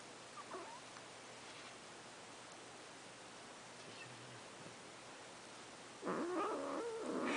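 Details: Pet cat making funny sounds while being brushed: a long stretch of near silence with a faint brief squeak, then a loud, low, wavering harmonic moan rising and falling over the final second and a half.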